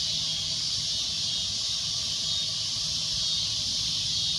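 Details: A cicada's continuous shrill drone, an even, high hissing buzz holding steady without breaks.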